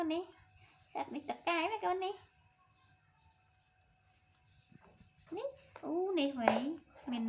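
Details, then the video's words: Young monkey Toro making sweet sounds to win a hug and comfort from his mother: clusters of arching, wavering whimper-coos at the start and again after a quiet pause, with human voices nearby indoors. "Adorable Baby Monkey TORO Makes Sweet Sounds To Get His Mother To Comfort And Hug Him"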